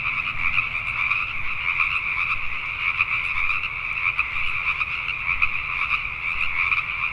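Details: Pacific tree frogs calling at night in Richmond, British Columbia, Canada: a dense, continuous chorus of many overlapping rapid croaks forming steady bright bands, with pulsing texture throughout and low background rumble.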